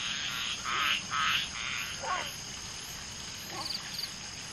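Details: Frog chorus around a mating group of common tree frogs (Polypedates leucomystax), two males with one egg-laying female. Several loud grating croaks come first, then fade into scattered quieter downward-swooping notes and soft background calling.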